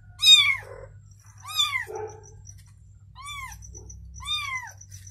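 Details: Mother cat beside her newborn kitten calls in clear rising-then-falling meows, four well-spaced cries with rich harmonics, a faint high tone and steady low hum beneath.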